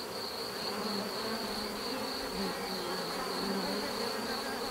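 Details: Steady buzzing of bees, a broad constant hum with faint low wavering tones beneath, holding the same level from start to finish.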